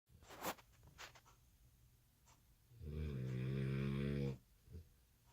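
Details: American Bully puppy asleep indoors at night, exhausted after skipping a nap after dinner, gives one long buzzing, rattling snore lasting about a second and a half, with a few soft clicks and breaths before it.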